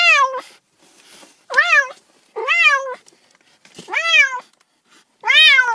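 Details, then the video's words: Domestic cats giving a rapid series of six insistent meows, each arching up and falling, roughly one every second, with slight rustling in the gaps. "30 minutes of Cats' Meow"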